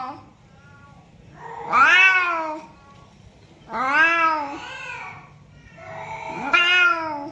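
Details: Domestic cat meowing, recorded to draw in other cats: three long, wavering meows about two seconds apart, rising in pitch then sliding down, over a low steady room hum.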